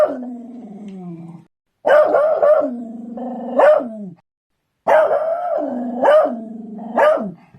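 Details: Barking beagles give sustained, tonal baying howls that rise sharply then sag and fall away, several bays strung together in long bursts broken by brief pauses of silence.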